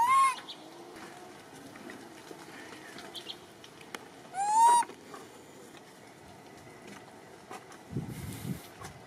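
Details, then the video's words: Martin, a monkey missing his grandmother Malida, searching and calling for her: two loud clear calls that rise and then hold steady, one at the start and one midway, over steady low background noise, with a rough rustling burst near the end. "Martin Monkey Still Misses His Grandma Malida And He Often Coming To Search For Her And Call Her"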